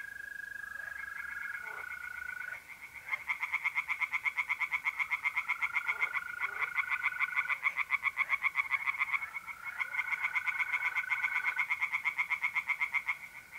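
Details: Tree frogs singing at a pond on an April night in north-eastern Italy. Fast rasping pulse trains come in bursts, while the steady, unwavering trill of mole crickets runs beneath them and fills the short pause.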